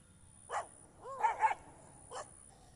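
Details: Rottweiler enjoying itself in a field gives four short, deep barks: a single bark, then a quick double, then one more about a second later, over a steady low background hiss.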